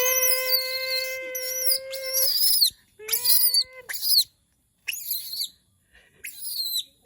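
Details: Monkey crying out because it misses humans: a long, steady, pure wailing note, then a shorter rising wail, each topped with hissing shrieks, followed by several brief screechy bursts separated by silences.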